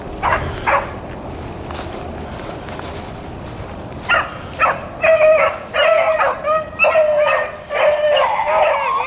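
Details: Rabbit hounds, Blackcreeks and Blueticks, running rabbits on April 4, 2013; bursts of high, ringing bawls begin after a quiet stretch, several dogs giving tongue together, with a faint call near the start.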